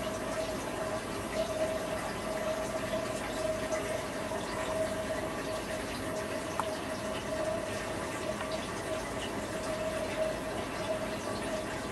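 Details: Constant rushing water or pump noise with a steady humming tone runs throughout, and no animal sound is present.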